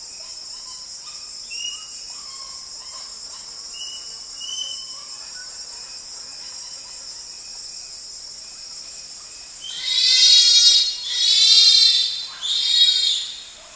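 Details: Bonobo (pygmy chimpanzee) in Wamba Forest, recorded close up. Faint, distant answering calls from another group sound first over a steady high insect drone. Then three loud, harsh, high-pitched harmonic screams come near the end.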